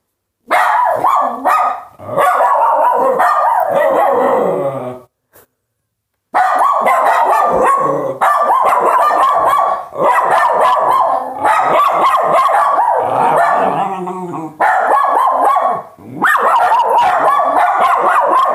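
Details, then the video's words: Several dogs bark in a dense, almost unbroken stream of sharp, overlapping barks, pausing briefly around five seconds before the chorus resumes just as loud. "dogs barking"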